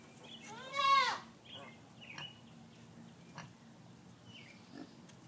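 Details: Piglets not even 24 hours old, born to the sow Gracie; one loud, arched, harmonic squeal rises and falls in half a second, followed by faint rustling and soft chirps.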